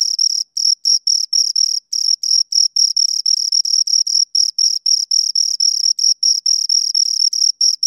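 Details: Two crickets chirping near the recorder, bright high-pitched pulses in uneven clusters, some longer trills broken by short gaps, roughly four per second; otherwise silent background.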